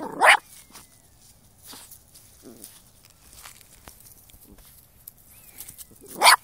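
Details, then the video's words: Spyke, a dog hunting moles, gives two sharp barks, one at the start and one at the end, with quiet rustling and faint bird chirps between them. "Spyke a caccia di talpe"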